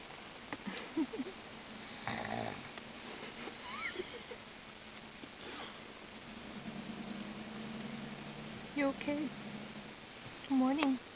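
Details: Salinger, a pug, asleep in the car after playing with his pug friends, gives rough, breathy snorts at irregular intervals while a person's voice speaks softly over the sleeper now and then.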